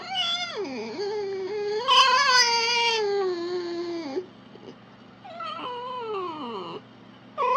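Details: A red fox (Vulpes vulpes) gives long, drawn-out wailing calls that dip, rise and slowly fall in pitch.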